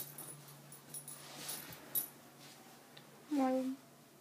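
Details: Two pet dogs indoors, a German shepherd puppy and a cairn terrier; a short, clear, steady whine with faint overtones near the end, after quiet room noise and soft rustling.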